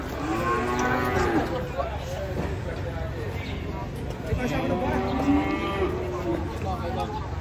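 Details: At 7:30 in the morning, a black bull about to come down from a truck at an Indonesian market gives two wavering, strained bellows a few seconds apart, with engine rumble and crowd noise behind.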